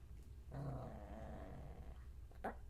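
A Pomeranian gives a low, rumbling growl lasting over a second, then one sharp bark.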